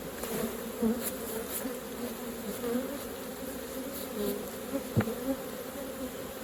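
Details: Honey bees working at a hive as honey is taken out; a continuous deep buzzing hum with a few soft knocks and a single sharp click.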